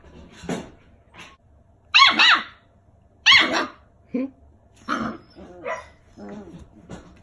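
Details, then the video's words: Six-week-old rescue puppies, brother and sister, barking while learning to play: loud, sharp high-pitched yaps in bursts, mixed with lower growls and squeaks, a person's voice faint in the background. "Cute 6-week old puppies playing and barking!"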